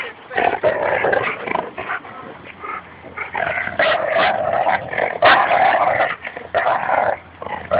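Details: Labrador Retriever growling during a tug-of-war game with a Bouvier des Flandres at a Fernandina Beach dog park; continuous rough, rasping growls rising and falling in bursts with brief gaps, louder surges near the middle.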